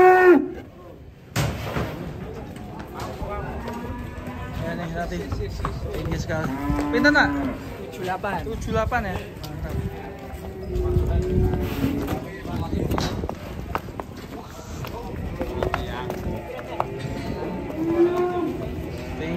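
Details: Banteng cattle, three of them, displayed before an onlooking crowd at Grabag market in Indonesia; several drawn-out lowing moos rise and fall over continuous music, crowd chatter and clapping.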